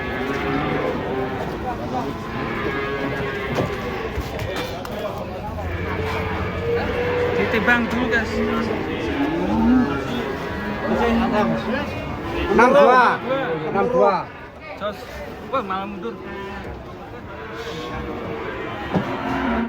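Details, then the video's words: Big cattle coming down from a truck in Indonesia give several moos and bellows, some arching in pitch, mixed with human voices and clattering during the unloading. "SAPI RAKSASA LUCU TURUN DARI TRUK TUMPAH SEMUA‼️"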